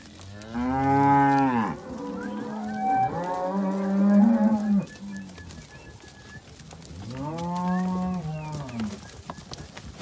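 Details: Simbra cows kept with their calves in a herd of seventy cows and seventy calves give deep, drawn-out harmonic moos. Three separate bellows each last one to two seconds, and the middle one wavers and overlaps a second animal.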